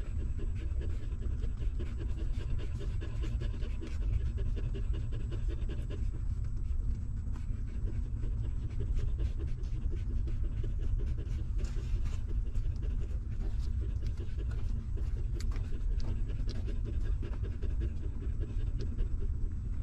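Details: Newborn puppies nursing from their stray mother, who keeps them warm and fed; a steady stream of soft, rapid, low wet sucking sounds continues throughout, with occasional sharper clicks.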